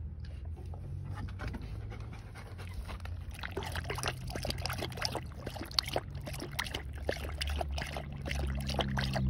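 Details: Belgian Malinois dog drinking water, with rapid wet lapping and panting sounds as a quick run of irregular clicks, about three a second, growing louder toward the end.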